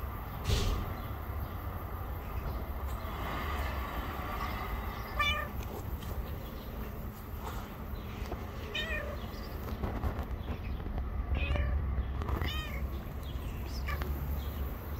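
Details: Pregnant stray cat living on the street, days from giving birth, meowing outdoors: several short, harmonic meows spaced a few seconds apart across the recording, over a steady low rumble with faint bird chirps in the background.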